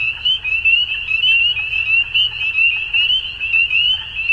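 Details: Frogs at dusk in spring, Ontario, Canada: many high, piercing peeps blend into a continuous shrill chorus, loudness swelling and dipping every half second or so.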